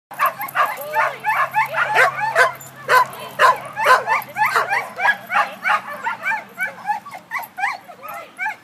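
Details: German Pinscher named Remme at a first sheep-herding lesson, giving rapid, uneven, ringing barks and yips, many per second, over a steady low hum and a few spoken words.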